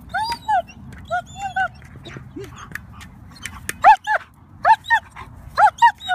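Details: An 11-month-old German Shepherd puppy playing soccer gives a run of short, high yips and whines, single at first then in quick pairs and triples, over low background rumble and faint scattered knocks.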